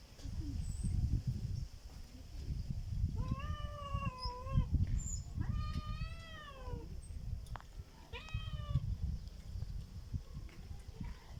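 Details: A black cat making a strange sound: three drawn-out, wavering meows, the first long and undulating, the second rising then falling, the third short and bent, heard over a steady low rumbling background noise.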